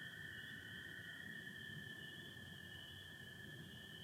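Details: Michigan spring night, late April, with spring peepers and American toads calling together; an unbroken high-pitched chorus with a lower steady band, rapid overlapping pulses blending into a constant drone.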